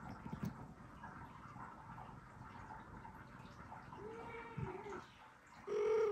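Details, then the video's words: A newborn kitten, one hour after birth, meowing indoors to call its mother cat: two thin, drawn-out mewing cries, the second louder and wavering, after quiet shuffling noises. "Newborn kitten meows to call her mom cat"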